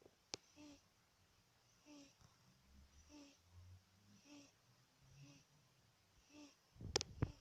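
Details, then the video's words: Sleeping house cat snoring in a small room, gentle nasal wheezes recurring steadily about every 1.2 seconds, faint low rumbles between breaths, then a brief burst of rustling handling noise at the end. "My cat, snoring"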